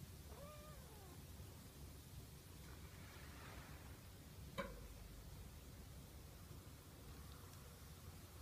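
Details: A male Siamese cat, stroked while waiting for his food, gives a brief, soft meow that rises and falls, followed by quiet rustling.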